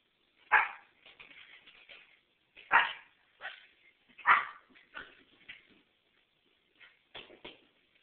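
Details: Chevy, a dog at his first Christmas, barks at Santa indoors: loud, sharp single barks near the half-second, three-second and four-second marks, each trailed by softer yips and whimpering barks, then a few shorter quieter barks toward the end.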